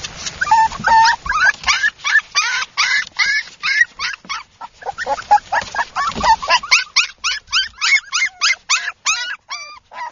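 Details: Mini Toy Poodle puppies giving a near-continuous stream of short, high, harmonic yips and whimpers, some whines rising and falling, calls tumbling over one another as if from several pups, with barely a pause between them.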